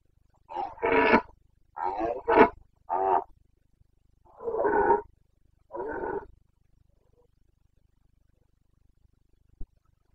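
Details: Boncănit, the rutting roar of a Carpathian red deer stag in the Bucovina mountains, 29 September 2022. Six hoarse bellows in irregular succession over six seconds, then near silence and one sharp click.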